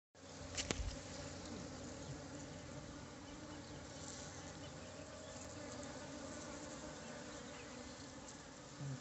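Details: Honey bees during a honey harvest on a steep cliff slope of Mount Sumbing. A dense, steady droning hum fills the whole stretch, with a brief sharp knock near the start.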